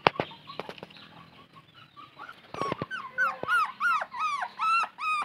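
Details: A thirsty puppy searching for its mother whimpers. After some knocks and scuffling, a steady run of loud, high, arched whines follows, about three per second, each rising then falling.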